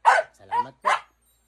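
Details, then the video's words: An American Bully lets out three quick barks within about one second, the middle one softer and more tonal. "Real American bully"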